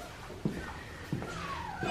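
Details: Australian Shepherd puppies aged two and a half weeks, a litter from Poppy and Dublin, give a thin high whine that slides slowly downward in pitch, over dull knocks and soft indoor shuffling.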